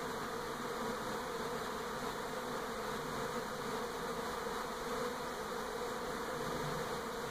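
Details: A Western honey bee swarm around a home in NE Portland, 2018, moving from an old to a new hive, makes a dense, steady, low droning buzz from many wings at once.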